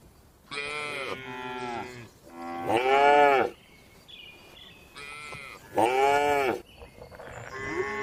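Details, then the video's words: Tame cattle relaxing and eating in a spacious farm barn, mooing in overlapping bouts: four loud, harmonic, arched moos of under a second each, with fainter higher calls from other cows in between. "Calm Cattle Sounds"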